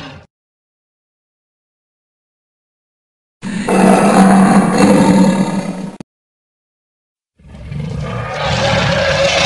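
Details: A lion (Panthera leo) gives a deep, rasping roar in a loud burst of about three seconds, followed by harsh rumbling.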